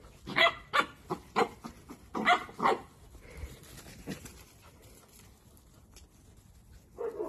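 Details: Playful miniature dachshund giving a rapid run of sharp, bright barks, about six in the first three seconds and a couple more later, each a short harmonic burst, with quieter rustling between.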